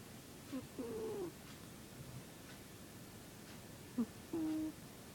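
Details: Zebbie the cat snoring: a faint short nasal whistle followed by a longer, level whistling tone, then quiet breathing for about three seconds before the same short-then-long pair returns.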